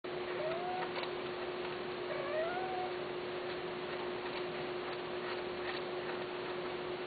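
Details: Persian (Himalayan) cats, a male and a female, mating: the cat gives two short, wavering mating calls over a steady electrical hum.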